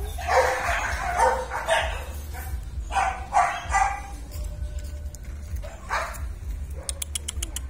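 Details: German Shepherd puppies, descendants of IVanka and MoRoc, in their training yard: short, yappy barks come in quick irregular bursts, about a dozen over eight seconds, over a steady low hum, with a few sharp clicks near the end.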